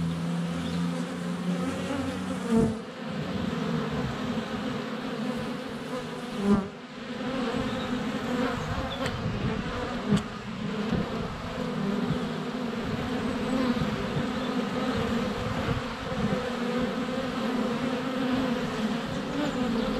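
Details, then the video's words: Close-up recording of honey bees crowding a hive entrance in February sun, GoPro Hero 7 Black under a foot away; an unbroken low buzzing drone, with a few sudden thumps from bees landing on the camera. "Honey Bees - ambient video and audio"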